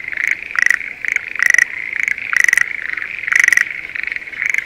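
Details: Close Schlegel's green tree frog in a rice paddy near Sendai, Japan, during breeding season, giving loud throaty pulsed rattles about every second, each a quick burst of clicks, over a continuous frog chorus.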